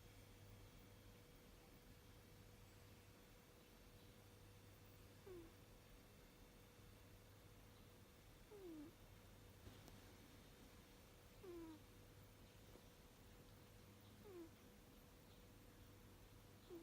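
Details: Abyssinian cat, six years old, sleeping and snoring softly. Each breath brings a brief, faint, falling whistle, spaced about three seconds apart, against a constant low hum and a thin steady tone.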